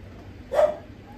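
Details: A female Japanese Spitz puppy offered by a breeder gives a single short, sharp bark, one brief burst against a quiet room background.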